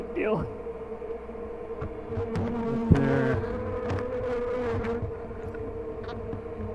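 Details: Honey bees at a hive at "The Mountain" during a 22/6/29 check; a steady droning hum with a passing bee swooping by early on and a sharp knock near the middle.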